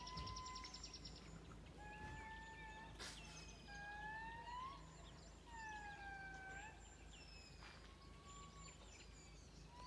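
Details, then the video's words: Indri lemur calls from Madagascar: long, loud wailing tonal notes with rich overtones, some sliding upward and others falling, overlapping in a drawn-out chorus over a steady low background hum. "Indr lemur calls from Madagascar"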